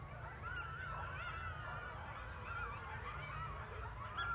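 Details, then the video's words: Coyote pack calling at night in rural Missouri as a train passes: several overlapping wavering, high howls sliding up and down, over a steady low rumble. "Coyote Sounds"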